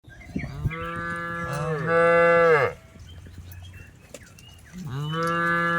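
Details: Tame cattle being herded through a rice field, mooing: long harmonic lows with a steady base tone, one rising to a loud strained end, then a shorter moo after a quiet gap.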